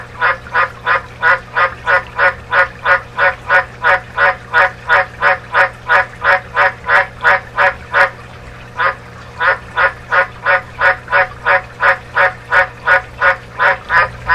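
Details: A White's (dumpy) tree frog (Litoria caerulea), Australia, gives a long run of deep, barking croaks, about three each second.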